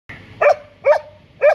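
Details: Border Collie "talking" on an afternoon outing as it heads to the park. It gives three short, whining, moaning yowls, each rising then falling, about half a second apart, before its owner asks about the car.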